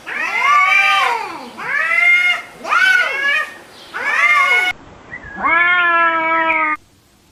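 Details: Cat and kittens meowing: four loud arched mews in steady succession, then a different, flatter and longer meow with clear harmonic bands before silence.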